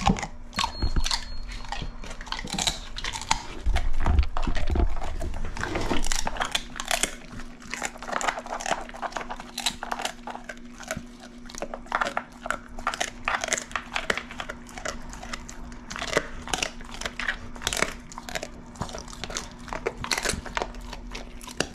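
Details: Pit bull Ace chomping dried shrimp as an ASMR treat; dense, rapid crunching, about three or four bites a second, with a heavier thumping start and a low steady hum underneath throughout.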